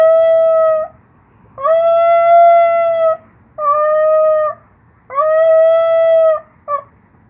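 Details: One-year-old Maltipoo howling indoors in response to a passing siren: four sustained, steady mid-pitched howls of one to one and a half seconds each, separated by short pauses, ending with a brief clipped note.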